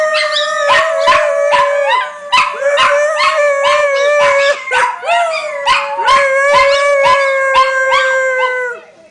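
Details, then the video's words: Several pet dogs howling together, their long wavering tones overlapping in layered harmonies, broken by frequent short yips and barks that punctuate the chorus roughly twice a second. "Howling Dogs"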